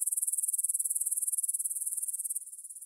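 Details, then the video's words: Grasshopper stridulation near Bryansk's Svensky monastery, Russia, recorded 9pm on 6 September 2020 with a Tascam DR-44WL: rapid, even high-pitched pulses, roughly a dozen per second, softening toward the end. "кузнечики на лугу – Grasshopper Sounds in the Field"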